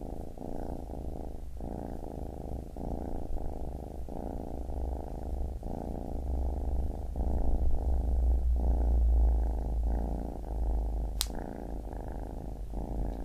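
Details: Purring of a baby kitten, continuous and low, the breath cycles audible as regular swells and short gaps about every second and a half, with one sharp click near eleven seconds.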